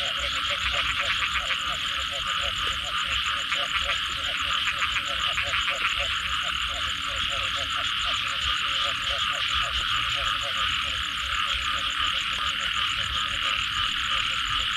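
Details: Many frogs croaking after rain, a long run of short repeated low notes beneath a steady high chorus drone, with bursts of fast pulsing trills throughout.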